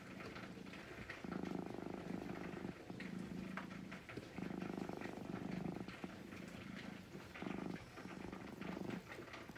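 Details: Calm brown-and-white pet cat being stroked, giving a steady low purr in repeated bouts of one to two seconds separated by short pauses, matching inhale and exhale, with light handling noise.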